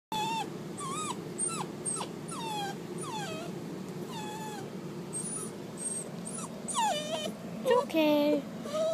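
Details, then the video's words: A dog squealing repeatedly in short high whistled notes, many sliding downward or wavering, coming roughly every half second, with a low steady hum underneath and brief human voices. "The dog that squeals"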